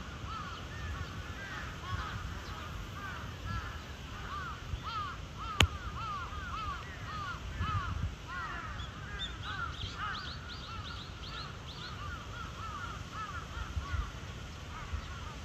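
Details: At Chiba Zoological Park, Japan, on 8 April 2023, the cheetah Zuraya chirps rapidly and repeatedly, dense runs of short rising-falling notes. A higher-pitched series of chirps joins midway, and a sharp click sounds near six seconds.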